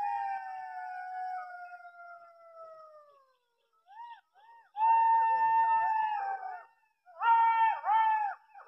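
A jackal gives a long, falling wail, then bursts of quick, rising and falling yips.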